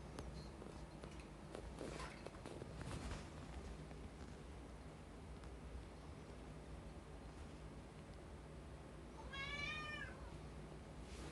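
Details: Rescued cat indoors, one of several longing for the outside world, gives a single wavering meow near the end, rising then falling with bright harmonics, after faint shuffling and handling noises against a low room hum.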